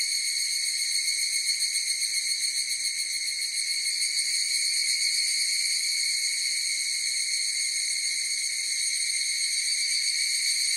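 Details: Massed higurashi cicada song forms an unbroken shrill ringing tone layered with overtones, gently throbbing early on, then steady; no other animals or noise.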